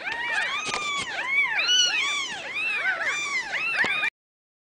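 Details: A dense overlapping chorus of short arched mews from Ragdoll kittens at a central Kansas home cattery, punctuated by a few sharp clicks, ending abruptly.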